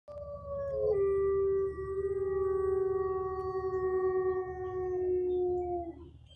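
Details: A gray wolf at Bay Beach Wildlife Sanctuary in Green Bay, Wisconsin, gives a long, steady howl that starts higher, drops, then holds low.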